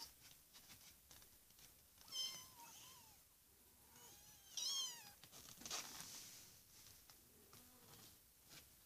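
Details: Kittens aged four weeks mewing: a few clear, high, wavering cries rising then falling, two louder bursts spaced about two seconds apart, over a faint hiss of room noise.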